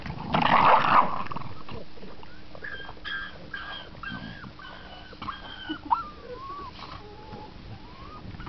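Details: Seven-week-old Staffordshire Bull Terrier puppies whine and yelp in thin, wavering tones, several voices overlapping; one howls almost like a pig while fumbling around an edge.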